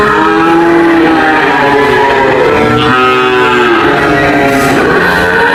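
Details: Cows low together, with long droning moos overlapping and bending downward midway. A brief noisy burst comes toward the end.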